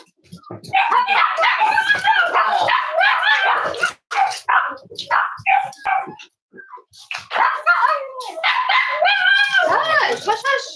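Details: Cavalier King Charles Spaniel puppies at home on a snowy Saturday, giving rapid high-pitched yips and short barks with rising and falling whiny notes, nearly continuous over about ten seconds, with human speech mixed in throughout.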